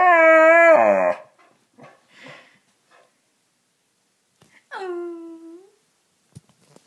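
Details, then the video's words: Attention-seeking Boxer named Riley gives one loud wavering howl-whine, falls quiet with faint soft noises, then lets out a shorter whine that drops in pitch and fades, inside a small room. "Boxer Dog Not Getting Attention"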